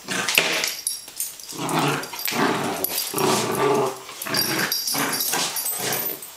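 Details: Holly, a female Welsh Springer Spaniel, playing on a wet day while meeting Dexter, 3 July 2012: rough, noisy growls in uneven bursts lasting about a second each, with brief quieter gaps between.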